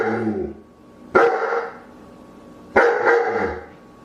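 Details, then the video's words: Two sharp, forceful dog barks about a second and a half apart, each with a ringing tail, following the fading end of an earlier bark. "CACHORROS LATINDO - SOM DE CACHORRO"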